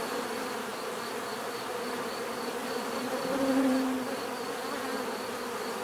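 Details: Continuous swarm buzz from many bees, an even droning hum; midway a single bee passes near, its tone rising in pitch and loudness for about a second before fading back into the steady mass.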